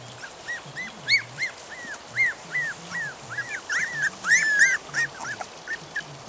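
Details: Puppies three and a half weeks old, placed out in a yard after being woken from a deep sleep and wanting their mother to feed them, give a fast run of high, arching whines and squeals, several voices overlapping toward the end.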